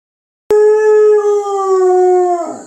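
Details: Female Catahoula Leopard Dog indoors asking for a late breakfast with one sustained, steady howl of about two seconds with rich harmonics, holding a single pitch before dropping and breaking off at the end. No other sounds.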